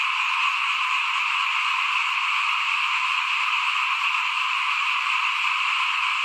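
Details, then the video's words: Many small frogs call together in front of a home during 2021 rice sowing, a continuous shimmering trill that stays even in pitch and loudness throughout. "เสียงเขียดร้องหน้าบ้าน ตอนหว่านข้าวเตรียมปลูกปี2021"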